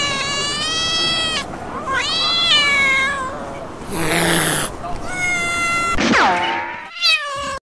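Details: House cat giving a run of loud, stretched meows, some rising and wavering like a caterwaul, broken by a brief noisy rustle midway and ending with a short sharp meow.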